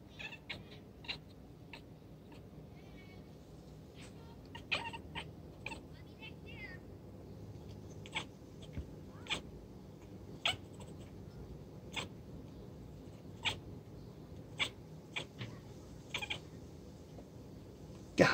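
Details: Galaxy, the youngest calico cat of the household, chattering while watching birds: short clicky chirps at irregular intervals of about a second, with a couple of brief wavering trilled chirps early on, over a quiet low hum.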